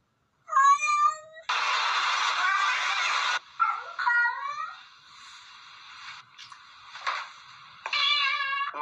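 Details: Pet cats making talkative meows: wavering, rising and falling mews, a long harsh hiss-like burst, then further short chirping meows, with a person's voice faintly between.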